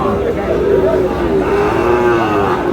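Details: Sahiwal bull calves at the Aftabganj cattle market in Dinajpur, Bangladesh, on 25 July, as trading begins; a drawn-out, wavering low moo runs almost throughout, over steady crowd chatter and bargaining voices.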